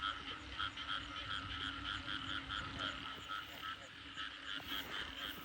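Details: Frog chorus at night after heavy rain, heard during a frog hunt: many distant callers repeat short, bright pulsing notes several times a second, forming an even, continuous wall of sound with no closer voices.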